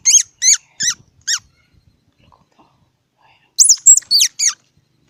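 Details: Loud, high, downward-sliding squeaks from a squirrel, four in a spaced run. After a quiet gap come four more, harsher and higher-pitched.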